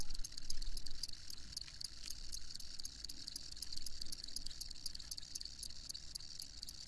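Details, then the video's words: Continuous high cricket trill with regular rapid ticks, over a low rumbling background noise like distant traffic. "Crickets Chirping"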